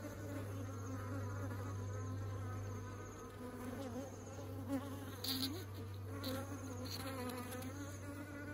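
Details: Swarm of honeybees returning to the hive with honey, steady overlapping buzzing with rising and falling pitch as individuals fly by, a low even hum beneath, and a few sharp clicks late on.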